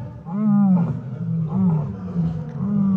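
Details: Lions roaring in the background during their roll call; deep, drawn-out moaning roars repeated about every second, loud and continuous, with a faint man's voice.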